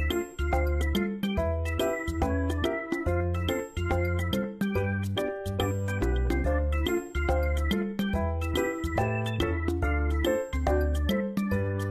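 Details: Bright, tinkling children's-style music with chiming bell tones and a steady bass pattern plays throughout, with no animal sounds.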